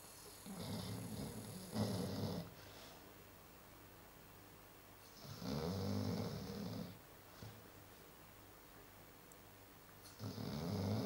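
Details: Sleeping Chow Chow dog snoring: three long, low, rasping breaths roughly every four to five seconds, each swelling and fading, with quiet room hush between them.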